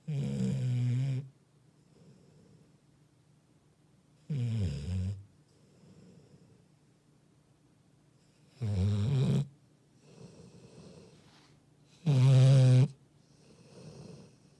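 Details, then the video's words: Labrador Retriever asleep and snoring: four loud, low, rumbling snores about every four seconds, each a harsh droning burst near a second long, with quiet breathing between them. "리트리버 코골이"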